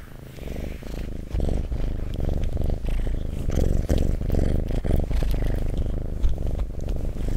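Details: Close-up purring of a pet cat, a deep continuous rumble swelling and easing with each breath, loud and steady, with faint scratchy rustles and small taps in the background.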